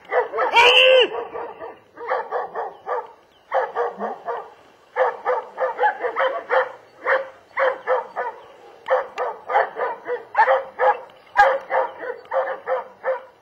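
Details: German Shepherd barking loudly and persistently in quick clustered runs of three to five deep, rough barks separated by brief pauses.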